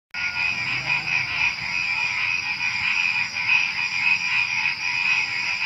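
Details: Frogs calling at night just before dawn among crickets and other small creatures, a dense, busy chorus of rapid, throbbing croaks layered over a steady high, shrill insect trill that never stops.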